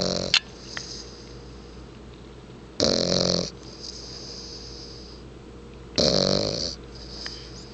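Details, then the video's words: Deeply asleep bulldog giving loud rasping snores roughly every three seconds, each a harsh rattling inhale followed by a softer wheezy whistle, over a faint constant hum in a quiet room. "Sleepy Snoring"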